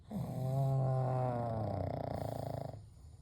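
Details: Sleeping pugs Kou, Gen and Shun resting together indoors at night. One deep, rattling snore lasts almost three seconds, with a low buzzy tone and a fluttering breath that fades out at the end.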